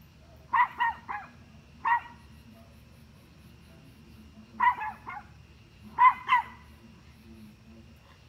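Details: Rapid bursts of two or three sharp barks from a dog barking at deer, each burst separated by gaps of one to three seconds, over a soft low-frequency hum.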